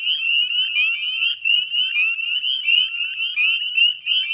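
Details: Spring peeper chorus recorded at dusk on 18 May 2020 at West Chezzetcook salt marsh, Nova Scotia, Canada; rapid high peeps rise in pitch and pulse in waves roughly every half second over a constant shrill background.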